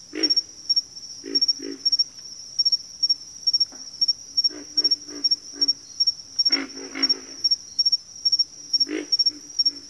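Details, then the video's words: Backwater frogs give bursts of deep, rasping croaks, some single and some in quick series, with louder calls near the middle and end. A continuous high insect trill pulses behind them. "FROGS - Pig Frogs, Water Frogs, Backwater Chorus, & Frog Chorus"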